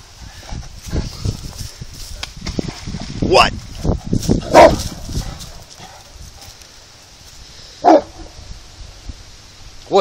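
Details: A big Saint Bernard frightened by a small rock in the water gives a few spaced, resonant barks, several seconds apart, amid people talking and calling 'hey' over quiet background music.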